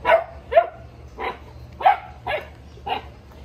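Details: Boerboel Sheeba checking on the chickens with a run of six irregular barks, some rising into higher yips, over a faint low hum.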